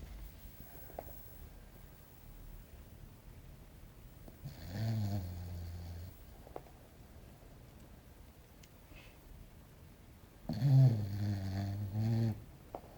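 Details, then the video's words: Sleeping English Bulldog called Belchior, a little pet dog, snores twice indoors, each a deep rattling rumble lasting over a second, separated by about six seconds of quiet breathing. "Belchior Roncando"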